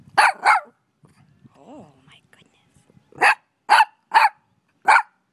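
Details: Five-month-old puppy barking: two quick high barks, a short harmonic whine-like sound, then four more sharp barks spaced about half a second apart, with a quiet background.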